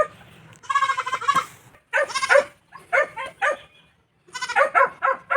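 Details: Newly bought domestic goat on a provincial farm in La Union, Philippines, giving wavering, quavering bleats in four bursts separated by short pauses, with people talking quietly nearby.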